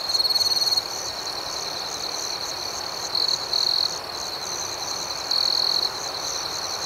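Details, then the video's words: Nighttime cricket chorus with a continuous high, pulsing background hum. A nearer cricket breaks in with short bright trills: one at the start, a double burst around three seconds and another near five seconds. "Soothing Cricket Sounds"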